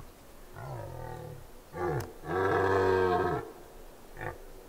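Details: A red deer stag (Cervus elaphus) bellows a series of deep, hoarse rutting roars during the breeding season on Mont-Lozère in France's Cévennes National Park, 2016.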